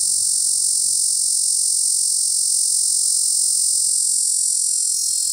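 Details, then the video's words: Cacama valvata cicada at Cimarron National Grasslands producing a steady, unbroken high-pitched buzzing drone throughout, loud and even, with only faint low background rumble. "Cacama valvata cicada, Cimarron National Grasslands"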